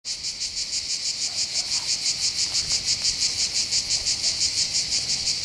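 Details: Cicadas singing on the heights above the port of Bandol, Var, on the Côte d'Azur in southern France by the Mediterranean. A dense, hissing buzz pulses steadily about three times a second. Faint low rumbles sit underneath.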